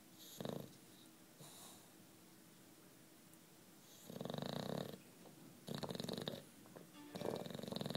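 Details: Short snorting breaths from sleeping nine-year-old British Bulldog Juanito, a few brief puffs followed by three rougher snores about a second apart toward the end.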